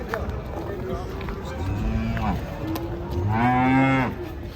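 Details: A Belgian Blue bull, restless as it is loaded onto a truck, ends with a loud, rich harmonic moo of nearly a second, preceded by quieter lowing amid handlers' voices and yard noise.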